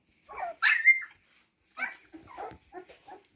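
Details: Siberian Husky puppies: a sharp, high-pitched yelp that rises and holds briefly, then soft scattered squeaks and muffled noises, with a lull between them.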